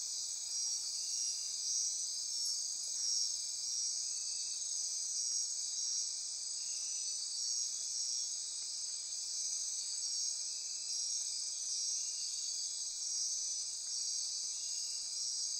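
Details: Insect chorus at midnight in rainforest near Corcovado National Park on Costa Rica's Osa Peninsula: a dense, unbroken high-pitched buzzing trill holding steady throughout, with a fainter lower band pulsing beneath it.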